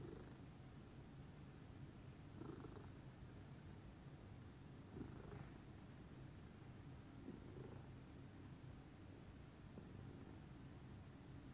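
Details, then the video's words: Pudding, a calm lilac Scottish Fold cat, purrs in the morning: deep rhythmic rumbling with breathy surges about every two to three seconds, rising and falling with inhale and exhale, nothing else audible. "calming purr meditation by pudding"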